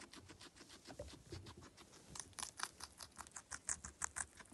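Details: Close-up crunching of a guinea pig while feeding indoors. Soft bites at first grow louder and sharper after two seconds into a rhythmic series of crisp snaps.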